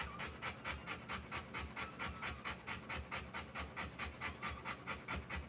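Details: Mother Rottweiler giving birth to puppies breathes in hard, regular pants, a rhythmic series of airy rasps roughly two per second, steady and unbroken from start to finish.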